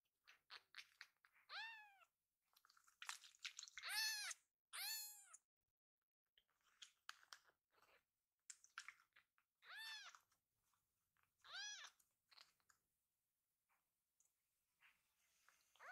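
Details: Pochamaru, a rescued baby kitten, tickled while lying belly-up after eating his fill; high arched meows repeat about once a second, interspersed with scratchy rustles and small clicks.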